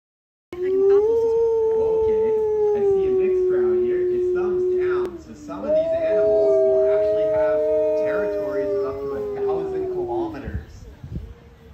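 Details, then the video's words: ['Wolf howling: a long, steady, drawn-out tone holds for several seconds, then breaks. A second, higher howl rises over a lower voice, and the layered howls fade away near the end.'] "Wolf Howl"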